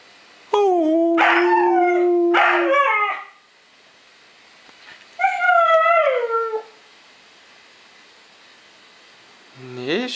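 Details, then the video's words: Young Siberian huskies howl in overlapping voices, long steady tones with rich harmonics broken by yips, then a falling, quavering howl after a pause, and a fresh howl starting at the end. "Young HUSKIES HOWLING"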